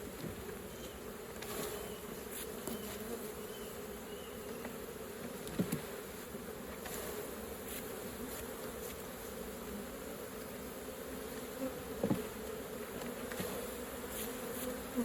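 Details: Humming honey bees at their hive while pure honey is harvested. An even, low buzzing drone runs unbroken across the whole stretch, punctuated by a few soft knocks and handling taps.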